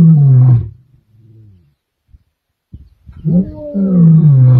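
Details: Kambula male lions, 14 December 2023: the deep tail of one roar fades into soft rumbling grunts, then after a short pause another loud, deep roar builds and sags in pitch.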